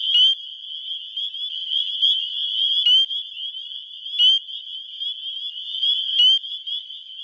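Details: Chorus of male spring peepers calling to attract females, Wisconsin, springtime, captured on a phone: constant shrill peeping wall of sound, punctuated by occasional louder, sharply rising peeps from closer frogs.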